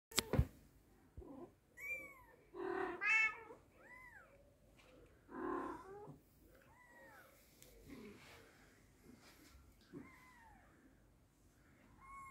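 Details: British Shorthair mother cat with her kitten, both indoors: a mix of lower, louder meows and thin, high, arching kitten mews, scattered irregularly over twelve seconds with quiet gaps between.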